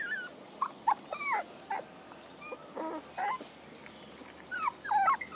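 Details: Soft, thin puppy whines come in short separate bursts, some wavering, some sliding down, spaced across the recording over a hissy background and a faint string of high beeps.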